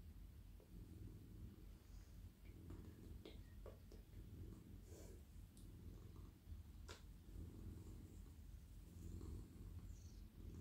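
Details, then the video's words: Very soft, friendly male pet cat melting in a lap while stroked, giving a long, even low purr that rises and falls gently, with occasional clicks and rustles from petting hands. "Cosy cat purring 🌠 Very friendly and very soft cat"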